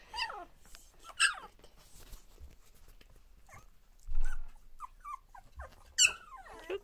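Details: Border Collie puppies, two weeks old, playing together for the first time: sharp falling yelps and whines in bursts, low grumbling growls between them, and a loud squeal near the end.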